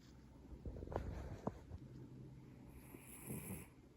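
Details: Maine Coon cat Valentina snoring indoors, a low raspy breath sound broken by a few short sharp snorts, then a softer rattling exhale toward the end.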